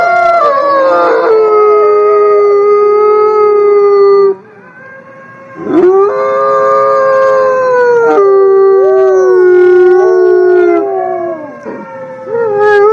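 Wolves howling in long, drawn-out tones that overlap, with voices sliding and wavering against each other.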